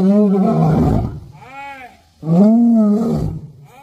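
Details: An angry lion at Sepahijala Wildlife Sanctuary, Tripura, gives two deep, rasping roars, each swelling and then fading, with softer grunts between, possibly where food arrives.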